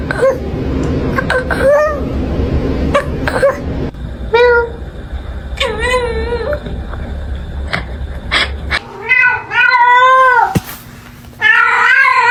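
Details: A cat giving strange, wavering meows, short at first and then longer and louder toward the end, over a steady background hum with clicks and a person's voice.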